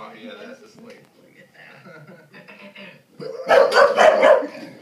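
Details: A three-year-old English Bulldog named Pieces barks at the TV. A person talks for about three seconds, then a short run of loud, harsh, rapid barks closes the passage.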